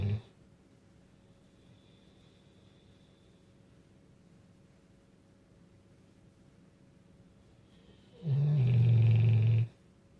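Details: Great Dane. A Great Dane snores once, a deep, rough rumble lasting over a second. Near-silence fills the rest of the time, with only faint room hum.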